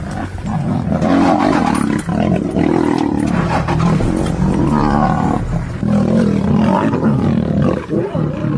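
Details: Lion of Serengeti National Park giving continuous rough, harmonic roaring and snarling, deep and strained, with brief dips near two and five seconds, loud throughout.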